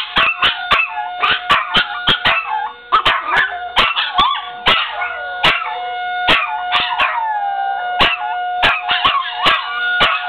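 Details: Pair of dogs joining in with a town horn blown each Monday at 1:15, a habit begun when their owner howled along. Long, bending, overlapping howls with yelping breaks run over a constant horn note, punctuated by repeated sharp clicks.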